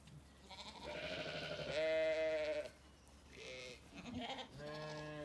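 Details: Sunny orchard in County Kilkenny, Ireland, where Zwartbles ewes and curious lambs call; a trembling bleat followed by a long steady one, then two lower nasal bleats after a pause.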